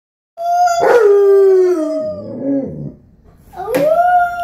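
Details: Alaskan Malamute howling together with a 4-year-old boy who howls while playing with play doh; long smooth wavering tones that slide down and fade, then a second rising howl, two voices overlapping.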